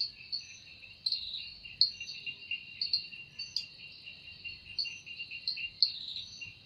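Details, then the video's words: Evening forest cicada chorus, a continuous high-pitched shrill drone with a fainter lower band and brief louder pulses scattered irregularly through it. "Woundering voice of Cicada"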